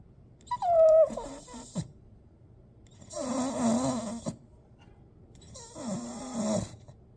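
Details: Staffordshire bull terrier making weird sounds: a short, high whine that slides downward, then two long, breathy, snorting grumbles, each lasting about a second and separated by quiet pauses.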